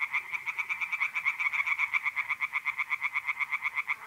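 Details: Tree frogs singing in a pond on an April night in north-eastern Italy: rapid, rasping pulsed calls repeated several times a second in an unbroken, slightly uneven chorus.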